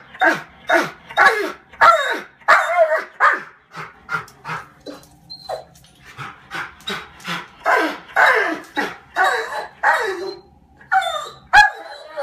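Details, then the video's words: Pet German Shorthaired Pointer, about five years old, barking indoors at birds taunting it from a skylight: a rapid, uneven run of sharp barks and yips, roughly one or two per second, with brief whines between. "German Shorthaired Pointer Dog Taunted by Birds"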